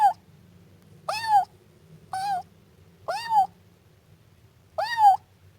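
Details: Young Siamese cat giving five plaintive meows, each rising then falling, roughly one per second, with a faint low hum underneath.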